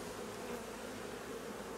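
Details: Buzzing of honey bees at a hive where a new queen has been born but may not yet be fertilized; a smooth, unbroken low hum with a faint midrange tone.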